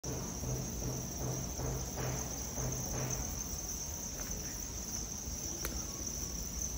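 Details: Crickets raised on a farm in Hanoi, Vietnam: a steady, unbroken high chirring band with fainter higher overtones. Soft low thumps pulse regularly, and scattered clicks and rustles come through.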